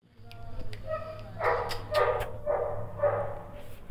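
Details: Imported Cane Corso puppies at a kennel in Hyderabad, India, giving high whining yelps: faint squeaks first, then four louder drawn-out whines about half a second apart.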